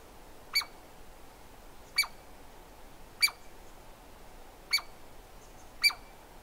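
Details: Five loud, abrupt calls of a Douglas squirrel, spaced about one to one and a half seconds apart, each a crisp click with a high ringing overtone and a short falling tail, against quiet background noise.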